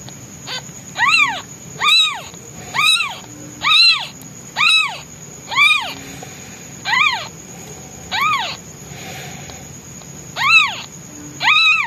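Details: Hungry newborn white male kitten calling loudly for his absent mother, who is out hunting food: a steady series of about twelve loud, arched, rising-then-falling meows, one roughly every second, over quiet background hiss.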